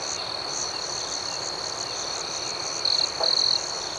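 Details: Crickets chirping at night: an even, high, pulsing chorus, then two short, louder trills from a closer cricket toward the end.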